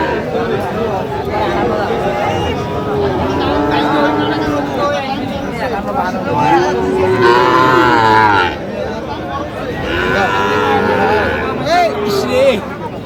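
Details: At a Kushtia cattle market in Bangladesh, where Sahiwal breed bulls are sold on 5 August 2025, several overlapping low, curving moos recur through thirteen seconds amid dense crowd chatter and talk.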